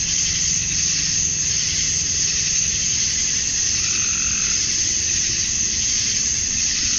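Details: Many male cicadas sing on a summer night at dusk in Georgia, USA, calling for females; an intense, even, high hiss fills the whole stretch, with slight wavering and a faint low background rumble.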